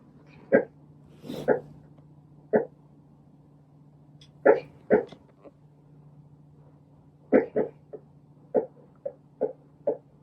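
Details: Shih Tzu puppy fast asleep, letting out short soft sleep-talk whimpers and snorts in irregular bursts, about a dozen brief huffs and squeaks over ten seconds, with a steady low hum in the background.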